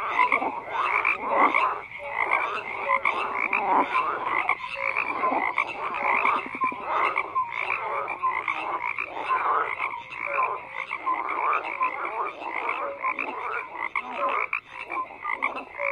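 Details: A dense chorus of frogs croaks without pause, with layered raspy pulses and scattered short tonal notes forming a continuous rhythmic wall of sound, and no other noises.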